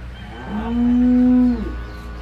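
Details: Short, steady, low moo from a dairy cow on a Salvadoran farm, held evenly for about a second with clear overtones and a soft trailing fade, over a quiet hum.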